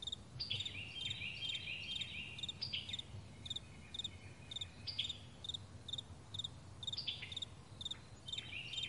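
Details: Crickets in the morning on a vast meadow: high, short chirps repeated steadily about twice a second, with bird-like whistled and sliding calls weaving between them over a soft low background hum.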